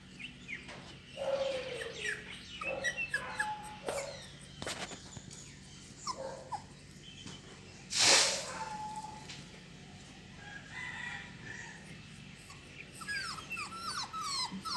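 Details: Purebred Beagle puppies give short, high-pitched whines and yelps, with a brief clatter in the middle.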